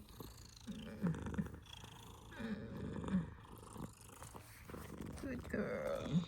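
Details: Female domestic cat purring indoors during eye cleaning, a purr said to sound like a snore: deep, rapid rumbling with rhythmic louder swells, like slow breaths, roughly every one to two seconds, and a brief human voice at the start.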